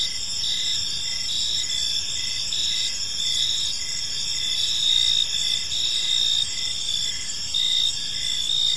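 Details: Crickets in a park as evening falls, a continuous high ringing trill chorus with intermittent short chirps and slight swells in loudness, quiet low background noise.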